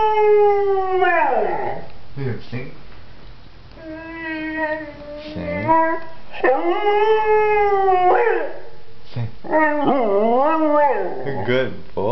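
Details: Leo, a pet pointer dog, howls when his owner asks him to sing: four long harmonic howls, each swelling and then falling away, the last one wavering, with short gaps and faint voices between them.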